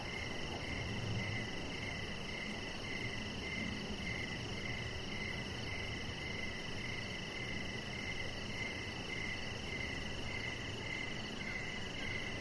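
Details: Crickets chirping in the evening beside a deck with decoration lights, a steady train of short pulsed notes repeating several times a second, over a constant high whine and low background hum.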